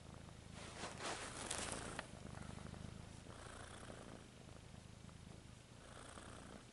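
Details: A pet cat purring continuously, a low pulsing rumble with rhythmic breathing swells, plus a burst of rustling near the start.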